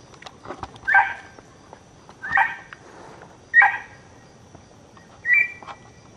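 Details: Dog yapping: four short, sharp, high-pitched barks with a bright ringing tone, spaced roughly every one to one and a half seconds, over a quiet background with faint clicks.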